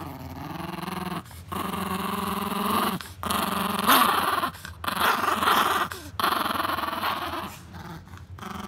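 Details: Scottish Terrier named Scott at a watering hole, wanting a drink while a chihuahua named Leon is already there; long, low, rumbling growls held for a second or more, broken by short pauses, with a background hum.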